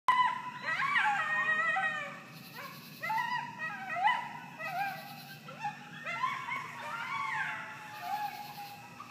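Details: Coyotes howling in a back yard in Virginia Highland Morningside on July 2nd 2013; several overlapping voices give wavering, rising and falling howls with yips in quick succession, each burst lasting one to two seconds, over a steady low hum.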